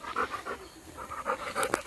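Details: Labrador dog named Golden out in a farm field with the family cat Sweety, panting in quick rhythmic breaths, about four per second, steady and unbroken throughout.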